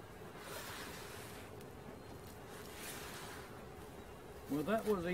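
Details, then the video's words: Honey bee swarm being caught: a steady, even drone hums on one low pitch throughout over a rough background hiss, with a man's voice breaking in briefly at the very end. "Catching Bees start to finish bee swarm"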